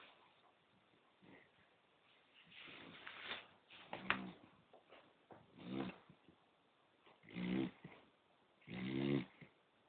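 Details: Sleeping poodle snoring indoors: rough, rasping snores come in uneven bursts, each about half a second to a second long, growing louder toward the end, with quiet breathing between them.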